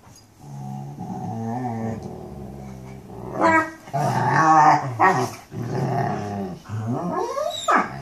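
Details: Mastiffs talking: a low, steady growl-like rumble that builds into louder, yodeling moans with sliding pitch and a rising whine at the end.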